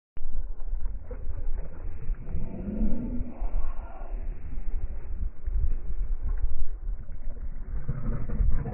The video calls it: Корги Гоша рычит.